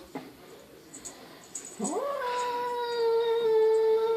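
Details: Perseus, a cat newly adopted from the SPCA, moaning at himself in the mirror indoors: a low rising tone that swells into a long, steady, loud drawn-out wail, after faint quiet sounds.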